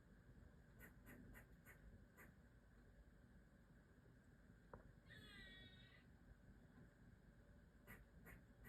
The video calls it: Black squirrel making scolding sounds